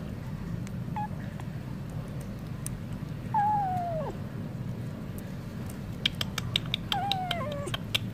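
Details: A hungry stray cat reacting to wet food gives a faint short meow, then two clearer descending meows a few seconds apart. A steady background rumble and bursts of clicking accompany them.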